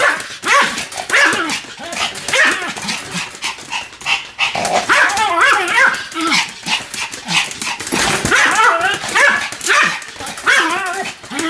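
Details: Pomeranian Sam, spinning at high speed, keeps up unbroken barking: rapid clusters of sharp, high yaps, some sliding upward, over constant clattering movement noise.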